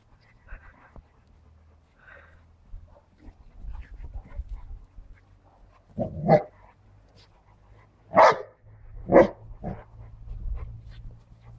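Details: Dogs playing rough: a Siberian Husky puppy named Dragon with a Cane Corso and a Bernese Mountain Dog. Three loud, short barks land near six, eight and nine seconds over low scuffling and thumping.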